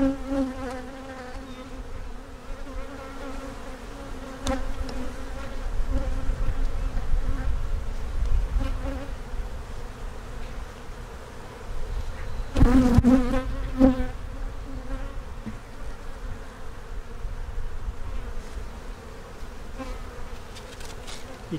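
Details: Honey bees in one of two backyard hives opened for inspection while the keeper checks possible queen cells; a steady low droning hum with a constant tone and overtones, brief louder surges and knocks of handling around the middle.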